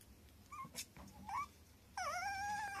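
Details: Affectionate young male Tiny Poodle indoors: a few soft short whimpers, then a loud drawn-out high whine that dips and rises again before cutting off, with faint room noise underneath.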